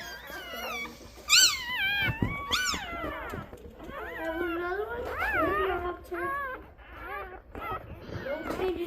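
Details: Rosie's twelve newborn Golden Retriever puppies, born 4/25/23, cry together indoors: a loud, sharp yelp, then many wavering, rising-and-falling squeals that overlap, with a woman's soft talking between them.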